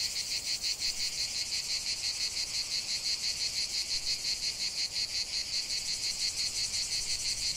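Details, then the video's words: Cicadas in a lavender field produce a sharp, sizzling high buzz throbbing in quick regular beats, about three per second, constant and uninterrupted. "ce chant de CIGALES au cœur d'un champ de lavande"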